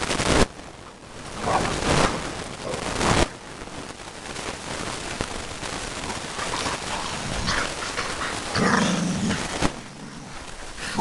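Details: American bulldogs play fighting at home, giving rough, gravelly growls and snorting grunts amid loud scuffling, thumping and heavy breathing, with a clearer low growl near the end.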